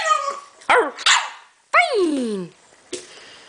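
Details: French Bulldog puppy barking on command: a few sharp, high yelping barks, one longer falling whiny bark near the middle, and a short final yip, with quiet pauses between.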